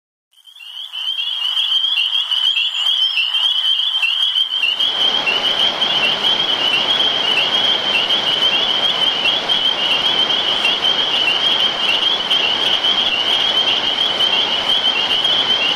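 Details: Tree frogs (peepers) calling at night in summer after rain: a dense chorus of high, shrill peeps forming a continuous ringing band, soon joined by the steady hiss of falling rain.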